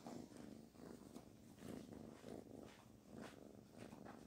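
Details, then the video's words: Kitten named Barfi purring while being petted; steady rumbling purr pulsing in rhythmic waves about twice a second, with soft rustling of fur under the hand. "The cute kitten Barfi came to me to pet her"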